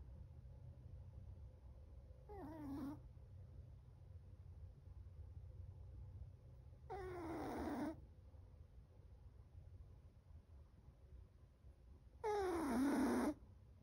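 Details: Chocolate, a seven-month-old Chihuahua, snoring loudly in sleep: three nasal, whistling snores about five seconds apart, each sliding down in pitch, the last the loudest, with soft room hum between breaths.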